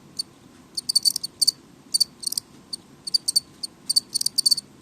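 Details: House crickets chirping loudly but more sparsely, short high trilled bursts scattered unevenly with small gaps between groups, faint continuous hum behind.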